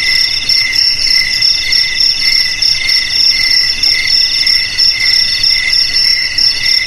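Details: Chorus of crickets, presented as a rat repellent for houses, garages, warehouses and paddy fields: bright, high, pulsed chirping in several stacked tones, repeating roughly once a second without pause.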